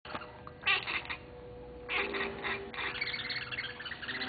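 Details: Luna, a female bicolour Oriental Shorthair cat, calling while playing: two clusters of short, bright chirping bursts, followed by a softer, continuous chattering sound.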